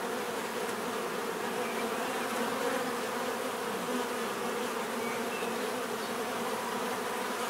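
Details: Many bees buzzing together in a steady, dense drone, with low humming tones layered under a hissy wash that holds an even loudness throughout, no other sounds standing out.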